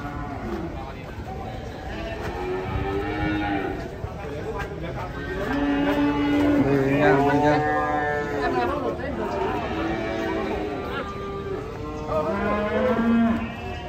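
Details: Frightened cattle coming down from a truck on a Saturday, giving long harmonic moos that swell and fade, several overlapping through the clip, with people talking and background noise.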